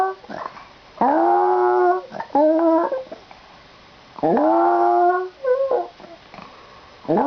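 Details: Dog giving an odd vocal noise before the owner departs for school: sustained rising-then-level howls near a second long, followed by shorter broken whimpering notes and breathy sniffs between.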